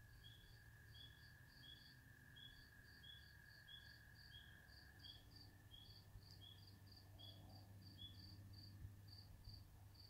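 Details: Spring peepers calling at a swamp: many short, high peeps repeated rapidly at two pitches by overlapping callers, over a steady lower whine and a constant low rumble.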